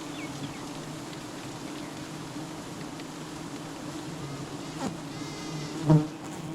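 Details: Continuous low, even buzzing of honey bees at a honey hunt, droning without a break, with faint high chirping behind it and a loud thump near the end.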